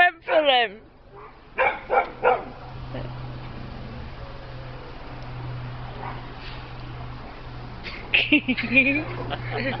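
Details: Peppie, a pet dog frightened by a little cat, gives a falling whine and then three short harmonic yips, with a few more yelps near the end, over a steady low hum and people talking.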